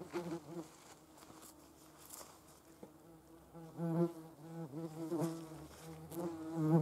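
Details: Yellowjacket wasps collecting protein for their larvae: a quieter hum at first, then several louder, swooping buzzes that dip and rise in pitch as individual wasps pass close.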